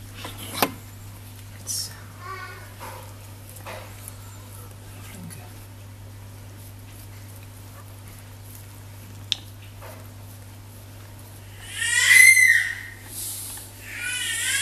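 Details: A newborn litter of eight Dachshund puppies, five males and three females born on 5 May, gives a burst of thin, high squeaks and whines after a mostly quiet stretch.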